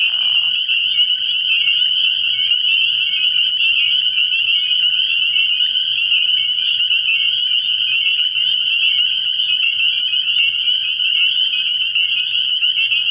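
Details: Early-year night recording at a frog pond: spring peepers form a thick, shrill, unbroken chorus of high peeps, with a short lower sound at the very start.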